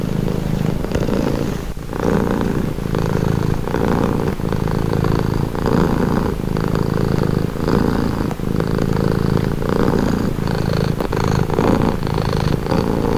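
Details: Calming purr of a pet cat, low and throbbing, pulsing in even cycles of roughly one second as the cat breathes in and out, steady throughout with no other sounds.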